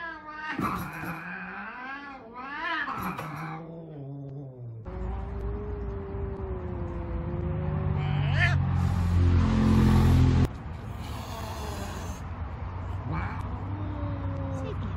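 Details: Big pet Savannah cats reacting to kittens: wavering, drawn-out yowls in the first few seconds, then a long stretch of steady low droning sound, rustling and human voices.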